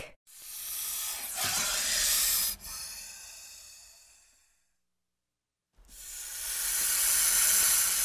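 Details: Snake hissing: long, airy, breathy hisses, the first lasting about four seconds and fading out, then, after a short silence, another steady hiss rising in loudness.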